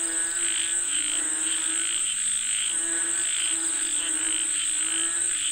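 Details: Croaking frogs calling for rain form a rhythmic, pulsing chorus of nasal notes, while a continuous high insect buzz fills the background.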